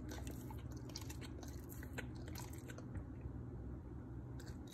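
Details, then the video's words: Pit Bulls eating bee larvae (royal honey baby bees) for the first time, served banana-leaf-wrapped and barbecued: quick wet crunches and bites over a steady low hum. "Pit Bulls 1st time eat 👑🐝Royal Honey Baby Bees (Banana leaf wrapped B.B.Q)[ASMR]MUKBANG"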